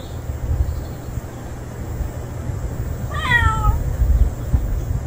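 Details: Unfamiliar male street cat that has just turned up gives one clear, drawn-out meow that slides downward, set against a steady low rumble of outdoor background noise.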